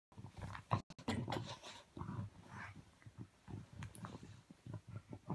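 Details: Ivy, a bulldog, searching under the covers indoors for her ball and growing frustrated: low, rumbling grunts and snorts come in short, irregular bursts, with brief pauses between.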